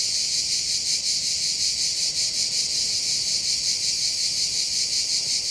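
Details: Cicadas singing in summer on the Côte d'Azur in the south of France, each with its own rhythm: a dense, loud, high-pitched shrill drone pulsing steadily about three times a second, with no other clear sounds.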